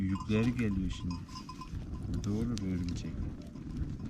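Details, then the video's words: Akkaraman lambs, just separated from their mothers, calling out for them: two drawn-out, wavering bleats that rise and then fall, about two seconds apart, with faint clinking in the background. "ARTIK KUZULAR ANNELERINDEN AYRILDI | ANAAAA ANAAA nerdesin diye bağırıyorlar"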